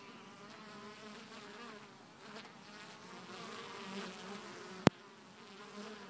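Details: Honey bees entering and leaving Hive 1 at actual speed, some incoming bees carrying bright orange pollen; a steady low droning hum with wavering pitch, and a single sharp click just before the five-second mark.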